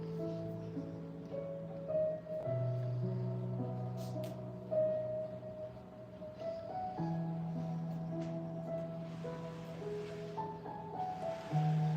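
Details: Mallet-percussion music, like marimba and glockenspiel, plays steadily throughout, with no animal sounds.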